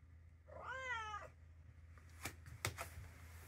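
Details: Mimi, a three-year-old calico cat slowly getting used to people at home, lets out one clear harmonic meow lasting under a second, then a few sharp knocks or clicks follow over a low indoor hum.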